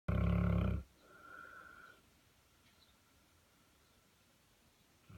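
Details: A Saint Bernard asleep in a clawfoot bathtub gives one deep, rumbling snore lasting under a second, followed by a softer exhaled breath and then near silence.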